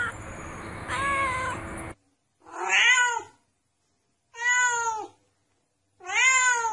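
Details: Domestic cat meowing, offered as a sound to chase away mice: a long harmonic meow over a noisy background, then three clear, loud, arched meows about every one and a half seconds in near silence.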